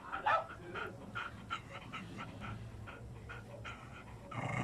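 A lively Aspin dog gives quick rhythmic pants with small whimpering yips mixed in.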